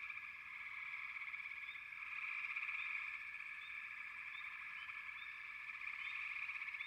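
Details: Frogs calling together in a steady, pulsing drone that swells slightly midway, with quick high chirps becoming more frequent toward the end.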